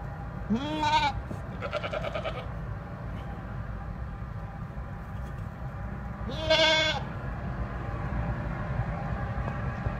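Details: Goat giving three bleats in ten seconds: two close together near the start, then a third after a long pause. Each is nasal, rising then steady, and rich in harmonics, over a constant low hum.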